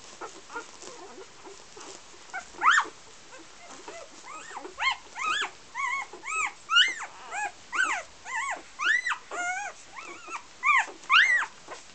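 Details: Golden Retriever puppies of a first litter in Iceland whimper and squeak in high, arching cries that overlap and repeat.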